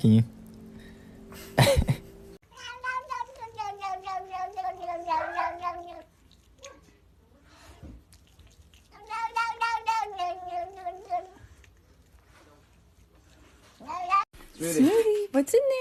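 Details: Domestic cat giving two long bouts of wavering, yowling meows with a tremulous pulsing quality, bracketed by brief speech and clattering at the start and end.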